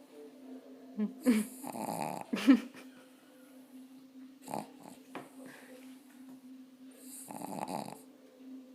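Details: A tired pug snores in rough, breathy rasps spaced a few seconds apart over a low steady hum.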